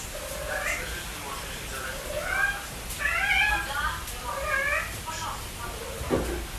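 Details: A pet cat giving a quick series of short, wavering meows over about six seconds, with steady background hiss and a soft thump near the end.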